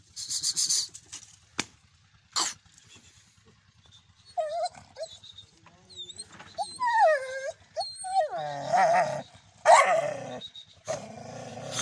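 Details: Angry dog, described as a big hungry street dog, giving scattered sharp barks early, then a run of rising and falling whining, yelping cries with harmonics in the second half.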